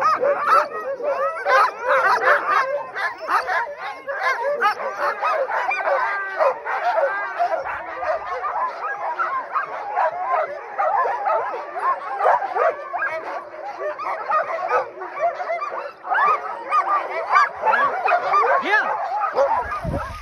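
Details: Many Alaskan Huskies at an Iditarod musher's kennel in Alaska in June, excited to be chosen for summer cart-pulling training, howl and yip together in a dense, continuous, overlapping chorus of wavering cries.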